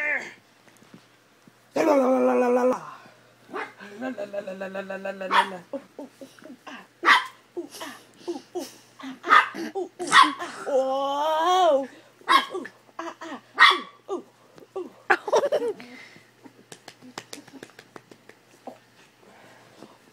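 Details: Dachshund playing in bed, making drawn-out growly whines and yowls, rising and falling, with scattered short barks and rustling; human voices murmur now and then.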